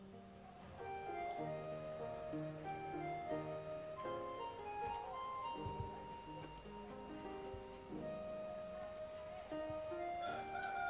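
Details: Light, playful tune with sustained melodic notes and gentle accompaniment, with no animal call heard.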